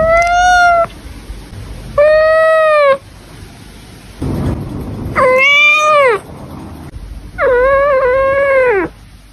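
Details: Domestic cat from a Douyin compilation meowing four times, loud and harmonically rich, each call roughly a second long and slightly arched in pitch, the last one wavering, with quiet gaps between.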